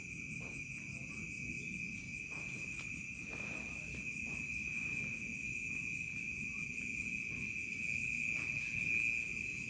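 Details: Crickets chirping in a remote village at dusk turning to night: a steady, high, shimmering trill with fainter pulsing tones above it, over a low rumble of background noise.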